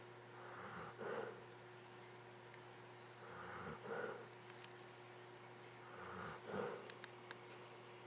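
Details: Luke, a pet dog, snoring while asleep indoors: three slow, breathy snores spaced about two and a half seconds apart, each a soft rasping swell, over a steady low electrical hum.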